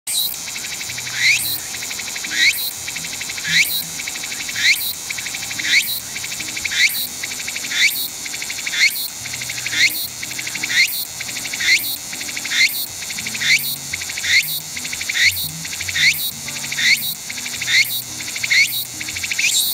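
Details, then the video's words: Walker's cicada (tsukutsukuboshi, Meimuna opalifera), a late-summer to early-autumn forest cicada in Japan, sings loud, buzzy, high phrases that rise sharply and repeat about once a second. "秋到来？季節を感じるセミの鳴き声【ツクツクボウシ】"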